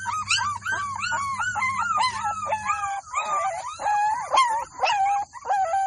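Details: Several Golden Labrador puppies in a village whine and yelp together in an overlapping, continuous chorus of wavering high cries, with a low hum through the first half.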